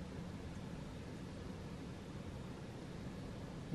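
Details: Only an even, low-level hiss and rumble runs throughout, with no calls or voices.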